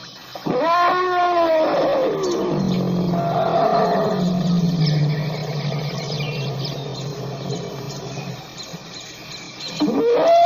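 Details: African elephant trumpeting with arching, harmonic blasts at the start and end, between them a long, low, steady rumble and a rough, noisy middle stretch.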